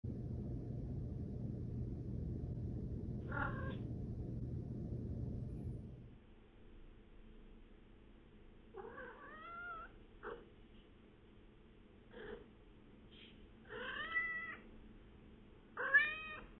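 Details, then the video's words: Kiki, a female pet cat, mrrping and trilling: after six seconds of steady low hum, a run of short rolling chirps with bright rising-falling harmonics, given in small clusters about once a second, with one early chirp under the hum. "What do you mean by “mrrp”?"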